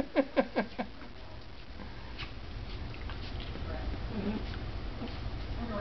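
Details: Two Dachshunds at play, a little sister beating up on her older brother: four sharp, yappy barks in quick succession within the first second, then quieter scuffling and faint human voices.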